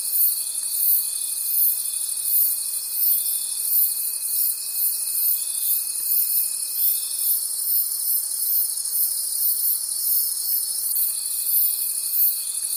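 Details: Crickets in a nighttime forest keep up an unbroken, piercing trill with rhythmic swells; a constant lower tone drones until about seven seconds, falls silent, then resumes near eleven seconds.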